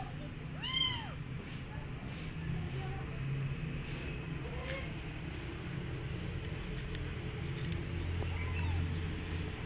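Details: Abandoned kitten seeking adoption by an uninterested female cat; one clear, bending meow near the start, then a fainter one near the end, over a steady low hum.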